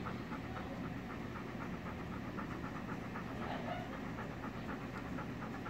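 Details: Chowder, a male Golden Retriever, excited to see his owner from behind a gate; rapid rhythmic panting pulses run steadily through the clip over a constant low hum.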